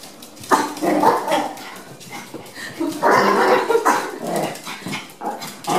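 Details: Chihuahua on a trial day at a dog daycare, among other dogs: rapid, irregular bursts of sharp, yappy barks in quick clusters, some rising and louder mid-clip, with indoor room echo.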